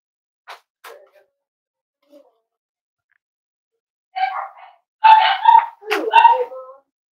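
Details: Cavalier King Charles Spaniel puppies playing and exploring indoors; after a few soft faint squeaks, a burst of high yelping and whining cries runs over the last three seconds.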